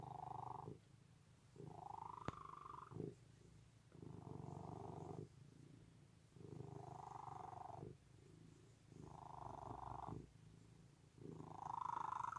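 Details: Loud domestic cat purring steadily, a low rumbling buzz that swells and fades in roughly one-and-a-half-second breaths, about six cycles, each phase edged by a brighter hum; one sharp click near the start.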